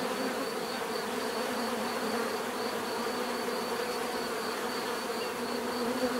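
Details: Dense, unbroken bee buzzing, low droning bands and a faint pulsing high whine, loudness constant to the end.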